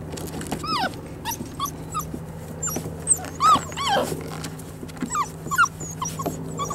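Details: Five-week-old poodle puppies playing outside, learning about new sounds and how to get along; several high, short rising-falling yips and whimpers scattered through, some overlapping, over a steady low hum.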